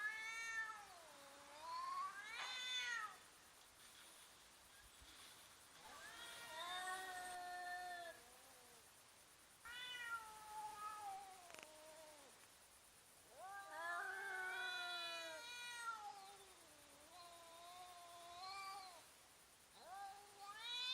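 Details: Cats squaring off and fighting, slowed down: a series of drawn-out, bending yowls and wails with rich harmonics, some rising then dipping, in bursts every few seconds with brief hushed pauses between.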